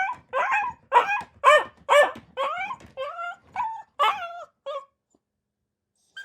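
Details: A dog gives a string of short, rough barks that turn into higher, whiny yips, roughly two each second, then trail off into silence with one final faint yelp.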